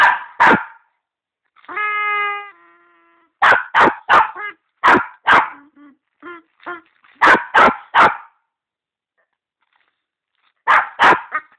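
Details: A dog barking: loud sharp barks in clusters of two to four, broken by a drawn-out harmonic whine near the two-second mark and softer yips, with short silent gaps between bursts.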